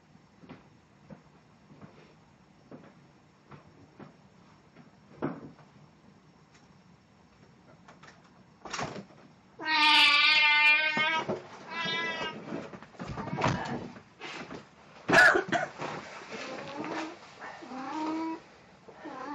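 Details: Plan the cat, costumed as Snow White for an encore recorded 1 April 2017: scattered knocks and clicks, then a loud drawn-out meow, a few softer wavering cries, and further sharp tapping sounds.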